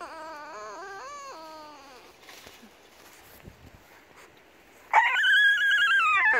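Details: A female French Bulldog on a walk lets out wavering, high-pitched screams at cows, seemingly jealous as her owner tries to stroke them: first a rising, whining wail, then a louder shrill burst.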